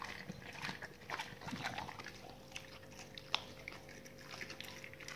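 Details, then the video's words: Dogs chewing raw meaty salmon bones and raw chicken carcasses, with wet, irregular crunching and smacking in short bursts, one sharp crack near the middle, over a faint steady hum. "dogs eat raw meaty bone salmon and raw chicken carcasses [ASMR] 動物の咀嚼音"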